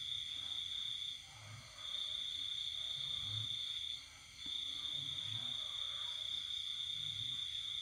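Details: Cricket at night in the countryside during the pandemic season: long high ringing trills, each a few seconds long, separated by two brief silent gaps, over a quiet low hum.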